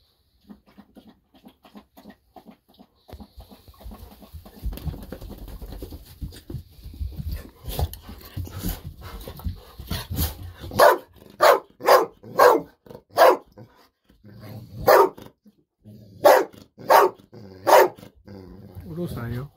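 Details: Golden Retriever Bis barks excitedly indoors while waiting for a fish-sausage treat. After a quiet, shuffling start, sharp barks burst out one after another, roughly every second, with short pauses between runs.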